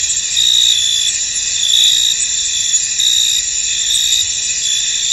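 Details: Crickets in a misty field, a steady high shimmering chorus with softer, less distinct trilling pulses rising now and then, a little under one per second.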